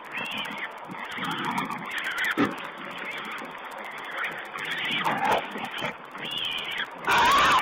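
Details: Feeding wild boar piglets filmed by a wildlife camera, 19.04.2010. A steady jumble of rough grunts and short squeaky squeals rises and falls, with a sharp thud near the middle and a loud, bright squeal burst at the end.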